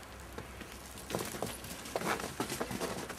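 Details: Soft, irregular patter and crunching taps over a quiet background, with no animal voice heard.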